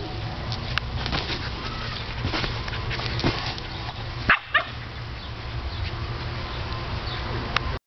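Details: Pet dog Teddy chases a huge blue ball and barks in frustration because it won't fit in his mouth; two quick barks midway through, with steady rumbling background noise throughout.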